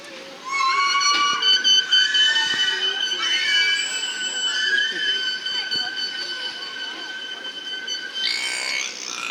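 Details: Killer whale at SeaWorld San Diego during an afternoon show on March 26, 2017, vocalizing by flexing the muscular flap over its blowhole to communicate: a long, steady, squealing tone held for several seconds.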